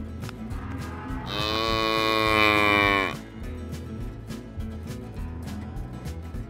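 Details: A cow at a livestock fair and auction gives one bright, sustained moo of about two seconds that swells and then fades. Steady background music with a low pulsing beat runs before and after.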